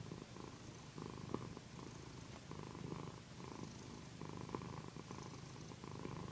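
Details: Loud, mellow purring from Pandy, a female pet cat relaxing under a massage on a satin pillow; rhythmic low rumble pulsing in roughly one-second inhale and exhale phases, with soft rustling.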